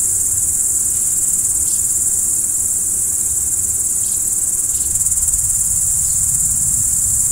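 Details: At night, crickets produce a constant piercing trill with no gaps, accompanied by occasional faint descending chirps and a quiet low-pitched murmur underneath.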